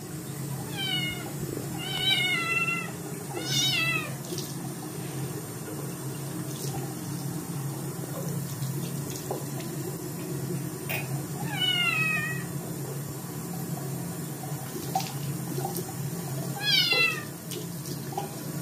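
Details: Dirty Scottish kitten protesting a bath, meowing loudly: high harmonic meows, each sliding downward, in clusters near the start, another around twelve seconds and one near seventeen, over steady running tap water.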